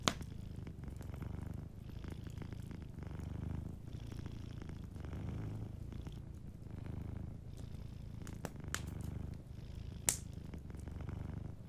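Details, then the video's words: Sleeping cat purring softly beside a fireplace: a steady low rumbling purr throbs throughout, with occasional sharp pops and crackles from the fire. "Warm Fireplace Ambience with a Sleeping Cat 🐱💤Fireplace & Soft Purring"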